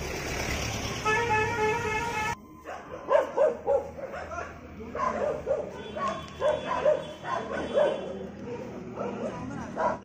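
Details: German Shepherd in a fight with street dogs; a burst of rapid repeated barks and growly yaps over traffic, with a vehicle horn and voices in the background.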